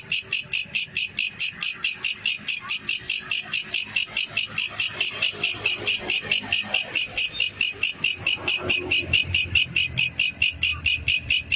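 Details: Male black cricket chirping: bright, high pulses repeated steadily, about four per second, forming an even trill throughout, with faint low rumble underneath.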